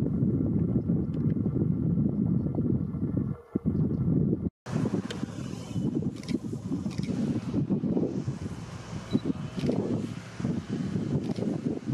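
Heavy wind rumbling against the microphone, with a brief dropout partway through and no clear birdsong.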